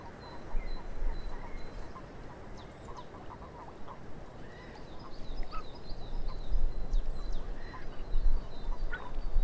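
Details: Frogs calling in a swamp: a loose chorus of short, clipped croaking notes in irregular bursts, with higher thin chirps and a sustained whistled tone above, over a steady low rumble.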